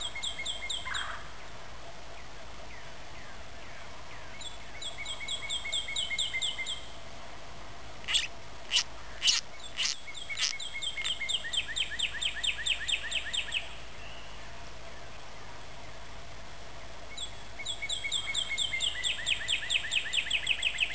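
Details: In a Michigan marsh, a wood frog caught by a garter snake gives high, harmonic squeals in rapid repeated bursts.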